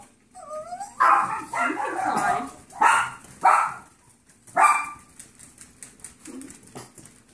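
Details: Playful Yorkshire terrier foster puppies, on their final playtime together, give a short whine followed by a run of loud, sharp yips and small barks, then softer grumbles.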